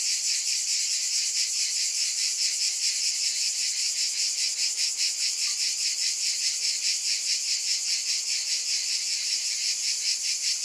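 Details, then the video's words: A steady wall of shrill cicada buzzing, throbbing in a regular rhythm of roughly two and a half beats per second, with no other clear sounds. "Mmm! Scintillating Cicadas"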